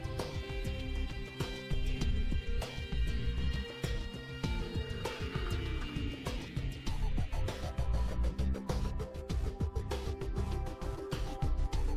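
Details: Upbeat instrumental music plays throughout with steady percussion and layered melodic instruments, and no animal sound stands out.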